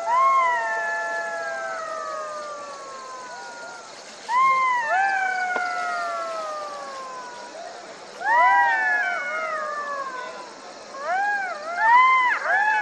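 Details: Jackals howling together: long, harmonic wails sliding slowly downward, then fresh bursts of rising-and-falling cries around four, eight and eleven seconds, the last ones breaking into quick yips.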